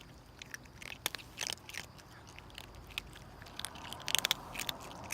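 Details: Hungry stray mother cat and her two kittens eating in a hurry: soft, irregular crunching and clicking bites, quick sharp chewing snaps over a quiet, hissy background.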